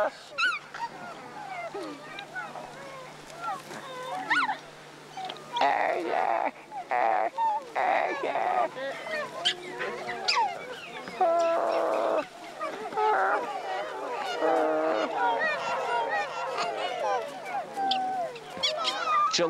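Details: Gelada troop in the remote Ethiopian highland mountains chatters while grazing with grunts, moans and rising and falling harmonic calls, a contact call to keep in touch with their harem and group.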